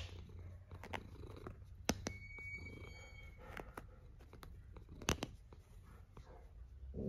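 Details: Cat snoring in a small room, low pulsing breaths repeating in an even rhythm, broken by a few sharp clicks and a brief thin electronic tone early on.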